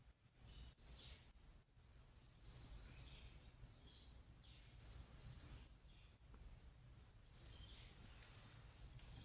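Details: A pet cricket's partner calls with short, high, pulsed chirps in pairs, about every two to two and a half seconds, over a faint low hum.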